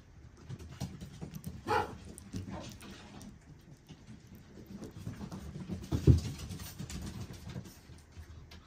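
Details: A very small, petite Shih Tzu puppy at a breeder gives two short whimpering sounds, a thin one early and a sharper burst later, with low indoor rumble throughout.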